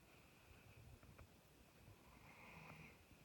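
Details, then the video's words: Sleeping Doberman snoring indoors, said to snore like a man; soft, low rumbling breaths rise and fall in slow waves, with a faint steady hum in the quiet room. "Мой Doberman храпит , как мужик!"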